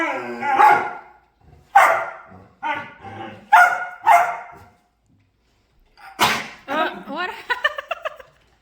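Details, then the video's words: Dog making noises while playing and dancing: short, rough, voice-like yowls and grumbles in bursts, then a run of rapid rising whiny yips. "Dog Making Harlious Noises And Dancing While Playing"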